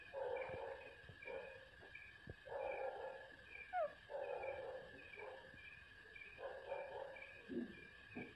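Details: Puppy barking and crying while its mother gives milk, short harsh yelps and whining cries in irregular bursts about every second, with a steady ringing insect chorus throughout.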